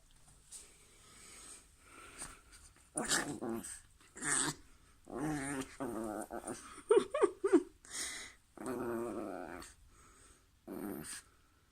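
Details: Female pet dog growling while playing indoors in a small room, a series of rough, buzzing growls in bursts of about a second, with gaps and clicks between them.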